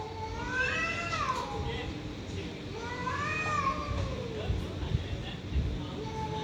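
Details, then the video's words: Stray cats fighting with strange noises: repeated arching yowls that swell and fall, each a second or so long, over low-pitched background rumble. "Cats fighting by making strange noises. Stray cats fighting"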